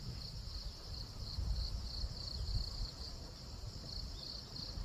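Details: A cricket calls in the daytime rather than at night: a continuous high, bright trill pulsing in quick regular beats throughout, over low rumbling wind or handling noise.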